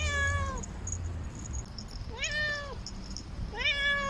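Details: Normally quiet domestic cat walking along a city wall, calling for a mate: three drawn-out meows, the first long and falling, the next two rising then falling, over a steady low background rumble.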